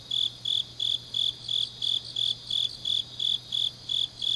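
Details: High-pitched chirps from grass insects on a deep autumn night in Changnyeong, Gyeongnam, Korea, pulsing steadily about three per second, around thirteen in all, with a soft constant hum in the background.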